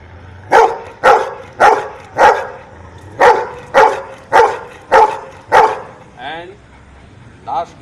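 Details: Dog counting out an answer with nine crisp, regular barks roughly every half second, followed by a person's voice after the barking stops.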